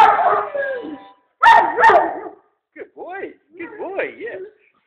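A Weimaraner sings in wavering, yodel-like howls that rise and fall in pitch.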